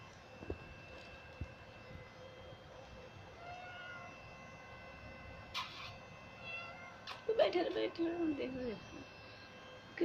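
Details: Pet Persian cats at play. Faint, thin, high meows come midway, followed by a louder, wavering, falling meow toward the end, while a woman speaks to the cats in Hindi. Soft knocks sound early on.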